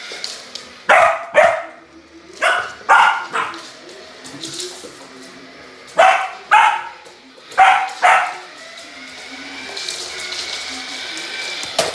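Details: Samoyed dog at play with a remote-control car, giving repeated short sharp barks in irregular bursts of one to three, with quiet gaps and a low hum between them.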